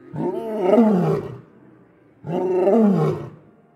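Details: A lion (Panthera leo) gives two deep, rumbling roars, each swelling and then fading over about a second.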